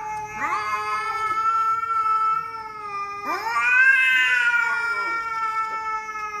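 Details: Two loud, drawn-out cat meows, each starting with a rising scoop and then holding a steady, nasal, richly harmonic tone for about two seconds.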